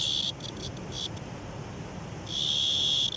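A cricket gives a steady, high, shrill trill, broken by brief pulsing gaps before resuming.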